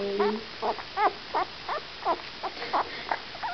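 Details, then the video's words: Great Pyrenees puppy, still hungry after bottle-feeding and trying to nurse a towel, giving short squeaky whines and grunts about every third of a second, with faint background noise. "Pig of a Puppy!"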